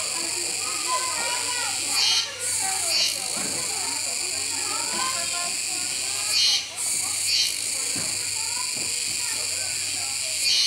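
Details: At Neopark Okinawa, Japan, 16 October 2021, Kuroiwa cicadas keep up a continuous shrill buzz that briefly falls away twice. A capybara eats nearby, and human chatter and voices run underneath.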